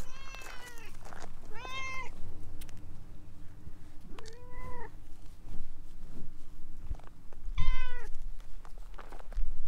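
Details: Talkative orange tabby stray cat clinging to legs meows four times, harmonic-rich calls near 0.3, 1.7, 4.5 and 7.8 seconds, some rising then falling, over low steady background hum and occasional footsteps.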